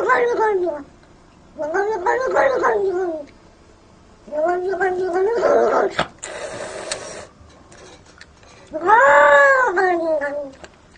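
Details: A cat described as very jealous gives long, drawn-out, wavering yowls, four in all with quiet gaps between them. A short burst of hissing noise falls in the middle. The sound is indoors-close.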